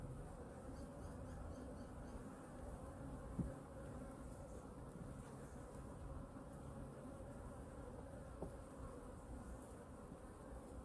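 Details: Hive #2 honey bees at a weekly winter checkup of food reserves: a soft, steady hum of buzzing bees, with a couple of faint knocks from handling the hive.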